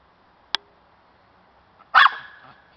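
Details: Cairn Terrier hunting for squirrels lets out one loud, sharp, high bark with a short ringing tail, after a single click.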